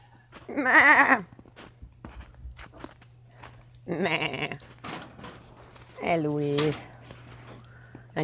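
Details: Domestic goats in a small group: three loud, wavering bleats with a strong tremble, each about half a second long and spaced a few seconds apart, with a woman's voice and her imitation bleats between them.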